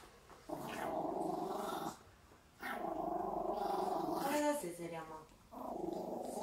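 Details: Fearful Maltese turning fierce in its owner's arms. It gives sustained, rumbling growls in three long stretches, with brief pauses between them and a short, higher, tonal whine near the end.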